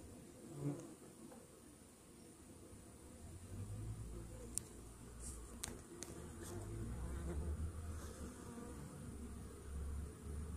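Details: Honey bee hive buzzing after a morning Varachet treatment against Varroa mites, which drop onto the hive floor; a loud low drone that grows stronger, with several sharp clicks and handling knocks in the middle.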